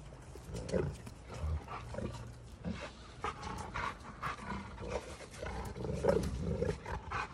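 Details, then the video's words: Two Giant Schnauzers fighting each other, rough rasping growls and snarls in irregular overlapping bursts, with scuffling and thumping noises throughout. "GIANT SCHNAUZERS HAVE A HUGE ARGUMENT!"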